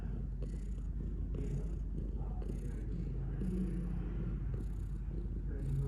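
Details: Low, even purring from a cat, a soft rumble that swells and fades in a regular rhythm with each breath, over quiet background noise.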